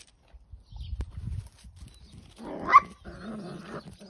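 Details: Dachshund letting out a single sharp bark, followed by a short tonal whine-like sound, after some dull thumping noises.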